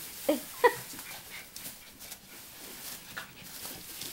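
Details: Schipperke at Ebony's ninth birthday party in April 2013, a hound also present; two short, high, sharp yelps with ringing overtones near the start, followed by quieter rustling and faint indoor background noise.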